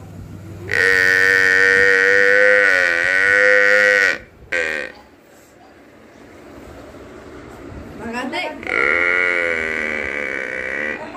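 A water buffalo lets out a sustained, rich moo lasting several seconds, its tone wavering slightly before breaking off. After a quiet stretch a second, similar bellow follows.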